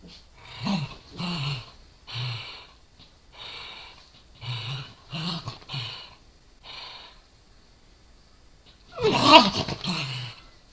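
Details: A Corgi and a Dachshund play-fight over a toy indoors. The Corgi growls and bares its teeth. Short low rumbling growls repeat about every second, then a quiet stretch, then a sudden loud, harsh, noisy burst near the end.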